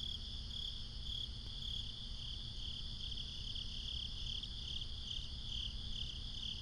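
A dense night chorus of crickets gives a steady, high, shimmering trill over a low background rumble.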